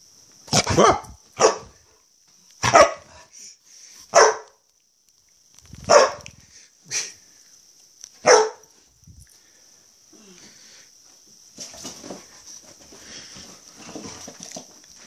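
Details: Female pet dog playing in the early morning, giving a series of sharp, broadband barks in bursts of one or two, about eight barks over the first nine seconds, then quieter rustling and movement noise with a steady high background whine.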